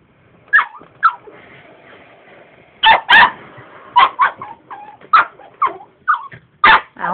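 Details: Pet dog that does not like the vacuum cleaner, barking and yipping repeatedly, about a dozen short barks with brief whines between them, over a faint continuous mechanical drone.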